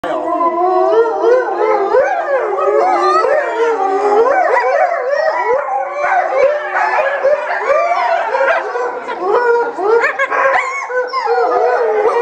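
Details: Chinese wolves calling together in chorus at Tennoji Zoo, Japan, recorded 8 October 2015, possibly ahead of feeding time; many overlapping wavering, sliding howls and yelps rising and falling without pause throughout.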